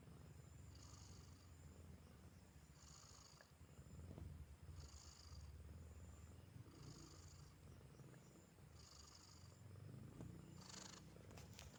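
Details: A cat named Silki purring steadily, a soft low continuous rumble throughout, with faint brief hissing bursts recurring about every two seconds in the background.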